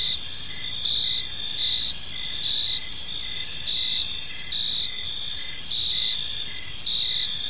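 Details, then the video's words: Gentle cricket chirping in a serene park at evening, several callers overlapping: high continuous trilling with a rhythmic pulsed chirp about twice a second, and a muted low background hum. "Cricket Sounds in a Peaceful Park"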